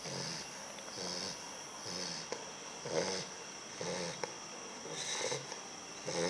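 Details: Sumo, a sleeping bulldog puppy, snores in soft rhythmic breaths, roughly one per second, each a raspy wheezing rush with a faint hiss between, in a quiet indoor setting.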